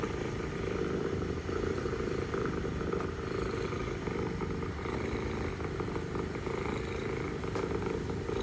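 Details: Low continuous purring from a mother cat talking to her kittens on the Istanbul streets, an even throbbing drone without pauses, over a faint murmur of background hum.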